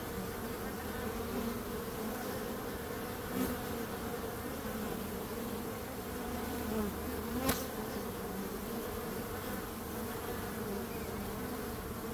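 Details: Bees buzzing in a constant low drone, a thick unbroken hum, with two short clicks or taps standing out above it at about three and a half and seven and a half seconds.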